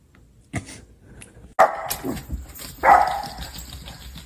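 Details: Dachshund barks in short sharp bursts, two loud yaps spaced about a second apart after a faint earlier yip, over room noise.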